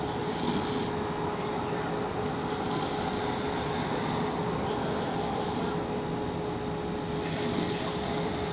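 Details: English Bulldog. An English Bulldog snores steadily, with rough, hissing breaths rising and falling in a slow rhythm every two to three seconds. A person can be heard snoring alongside, under a constant low background hum.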